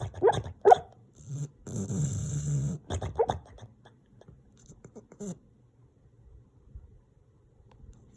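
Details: Sleeping dog named Guinness making funny noises: two brief squeaky whimpers, a rumbling snore-like breath around two seconds, more squeaks, then quieter soft snuffles trailing off.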